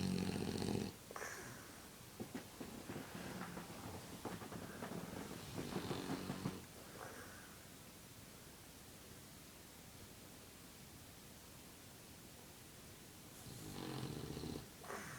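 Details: Snoring French Bulldog that also blows bubbles: a run of soft, rasping, uneven breaths over several seconds, then a quiet pause before the noisy snoring starts again.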